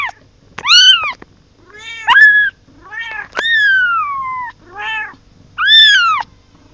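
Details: Kitten calling for its mother, a string of five or six loud, clear meows, each rising then falling, some long and drawn out, spaced about a second apart in a quiet indoor setting.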